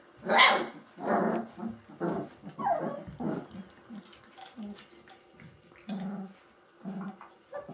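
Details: Gordon Setter puppies, three weeks old, let out a string of rough, squeaky barks and growls that fade into softer low grunts and snuffles toward the end.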